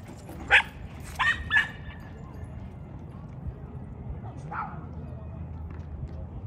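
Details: Dogs back at their old dog park on 26 November 2023: three sharp barks in the first two seconds, then one softer bark near 4.5 seconds, over a steady low outdoor rumble.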